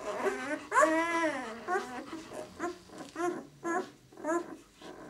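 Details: Whining from newborn White German Shepherd puppies, six days old, from the "of White Night" B litter: a long arching cry followed by a series of short, evenly spaced whimpers, roughly two per second, in a small room.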